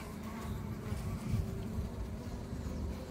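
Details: Worker honey bees on comb during a beekeeping inspection of worker bee development stages: a continuous low, dense droning hum with a faint steady tone above it, rumbling without pause and with no other clear sounds.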